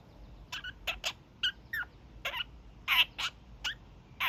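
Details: Young male kakariki, a caged pet, giving his daily evening honks: short nasal bursts in quick irregular series, some doubled, with a few brief descending notes between them.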